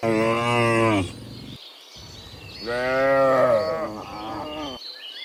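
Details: Cows walking back from the field to the pen in the morning, dozens together: a strong one-second moo, a pause with soft rumble, then a longer wavering moo, faint birds behind.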